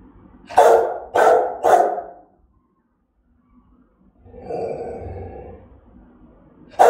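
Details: Aggressive Rottweiler barking in threat: three deep, forceful barks in quick succession, a silent gap, a longer rough, growly bark, then another sharp bark cut off at the end.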